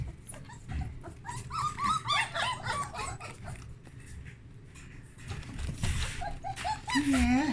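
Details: Whelping-box puppies exploring fresh blankets: squeaky, wavering whimpers in quick bursts, sometimes rising and falling, mixed with rustling, a person talking, and a louder drawn-out wail near the end.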